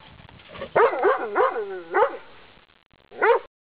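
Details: Dog barking fiercely through a fence at a walker passing along a pleasant path; a harsh growling bark rising into several loud tonal barks in quick succession, then a pause and one more bark.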